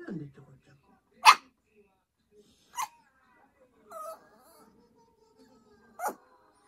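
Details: Choco, a Yorkshire Terrier, pressing its owner to come to bed together, gives a loud clipped bark, then two more spaced ones, plus a brief nasal whine, after a moment of low voice at the start.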